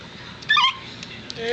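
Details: Miniature dachshund during the birth of the last of five puppies on a Sunday evening, 19 April 2009, a difficult delivery with a stuck pup. A short, high whimper with stacked harmonics, then a thin rising whine over quiet indoor hiss.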